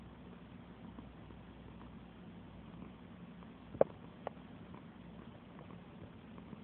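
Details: Cat purring as it is petted: a soft, deep, continuous rumble runs throughout, broken by two sharp clicks from handling in the middle.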